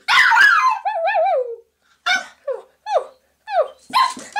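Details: Haley, a six-month-old female Pomeranian puppy, playing games by herself in a bathroom in the morning: a burst of sharp barks, then a wavering high whine and a string of short, falling yips.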